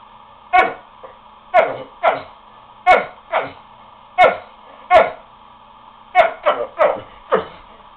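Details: Lucky, a pet dog, giving his funny bark to get the other animals to play: short sharp yelping barks, often in quick pairs or triplets, repeated every half second to a second, indoors with a low room hum.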